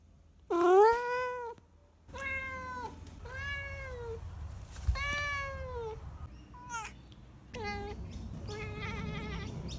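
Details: Domestic cat indoors making odd meows: a loud rising-falling meow, then several drawn-out wavering meows about a second long, a short chirp and a final trilled, chattering call.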